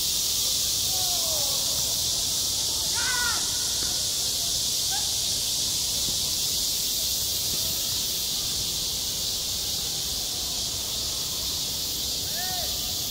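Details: Cicadas singing at a school playground in high summer: a dense, unbroken high-pitched buzzing drone fills the clip, while a few harsher crow-like caws break through faintly near the start, middle and end.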